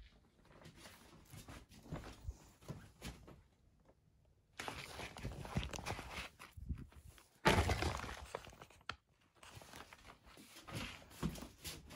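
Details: Indoor footsteps and soft thumps in a small room, with a sharp crash near the middle and faint speech, and no animal voice.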